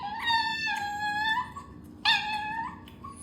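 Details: Pet Chinese rural dog begging indoors for food, producing two drawn-out, wavering whines, each opening with a sharp yip and bending upward at the close, over a constant low background hum.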